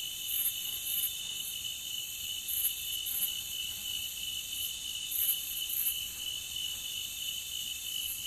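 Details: Chorus of crickets humming in a continuous high, shrill trill, with brief bright bursts rising above the drone around 0.5, 2.6 and 5 seconds.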